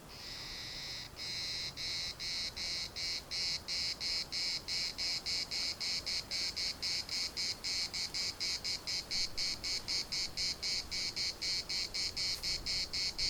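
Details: Larnaca municipal park cicadas: after a brief continuous buzz, the song breaks into quick rhythmic rasping pulses, nearly four per second, growing louder and steady through to the end.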